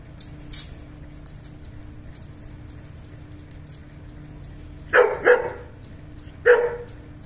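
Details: German Shepherd dogs, a male and female pair shown for mating, give three short sharp barks near the end, two in quick succession then a third a second later, over a low steady hum with faint voices.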